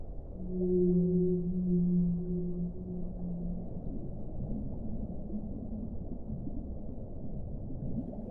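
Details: A whale's low held moan lasts about three seconds, then softer wavering tones drift in and out over steady deep underwater noise.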